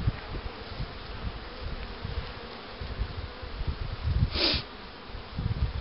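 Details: Honey bees at hives being prepared for queen rearing with the Cupularve system in 2013, including a starter hive for accepting queen cells: a faint, steady mid-pitched hum under low rumbling handling noise, with a brief hissing burst near the end.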